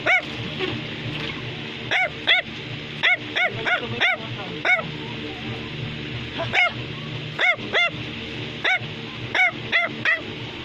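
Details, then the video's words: Sustained barking from a Bichon Frisé, a toy dog breed: a steady stream of short, high, arched yaps, often in pairs or threes, repeated over ten seconds above a low musical hum. "Bichon Frisé is Barking"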